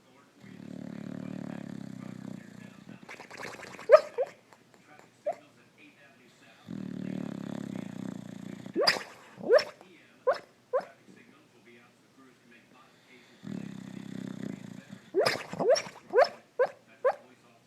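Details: Female Boxer asleep on a couch indoors, snoring and barking in her sleep: three cycles, each a long rasping snore followed by a burst of short, sharp, muffled yips and woofs, roughly every six to seven seconds.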